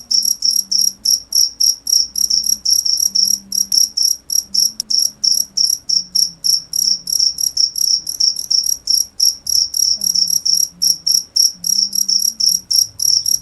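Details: Long series of sharp, high cricket chirps, about three to four per second, steady and insistent throughout, over a quiet low background drone.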